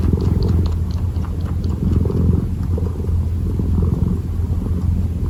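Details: Deep, even purr from a kitten kneading, almost entirely low rumble with gentle swells and light rustling.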